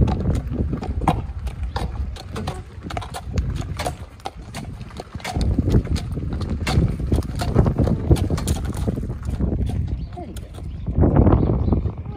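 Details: Shire horse from Dyfed hauling a passenger cart, its hooves knocking in a loose rhythm of about three to four beats a second above heavy low rumbling, with voices chatting alongside.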